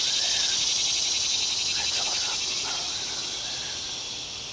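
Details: Cicadas in the woods: a dense, fast-pulsing electric buzz, loudest at first and fading slightly, with faint chirps of another creature in the background.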